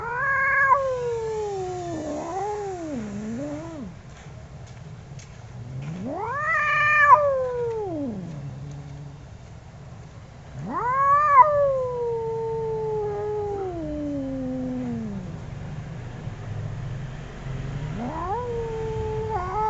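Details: Two angry cats yowling loudly in turn: four separate drawn-out wails, each rising quickly then sliding down in a slow, wavering moan, several seconds apart.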